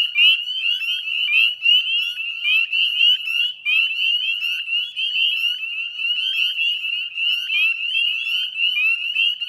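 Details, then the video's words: Evening chorus of northern spring peepers in the Chezzetcook salt marsh wetlands, Nova Scotia, Canada, 18 May 2020 at 9:08 p.m.; high, bright peeps from many frogs overlap continuously into a ringing, shimmering chorus. "Northern Spring Peeper Chorus"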